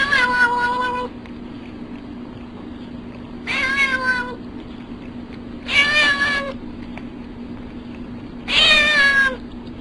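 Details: Domestic cat making funny sounds: four drawn-out, harmonic meows, each about a second long, arriving at uneven gaps of two to three seconds, some bending downward in pitch, over a steady low electrical hum.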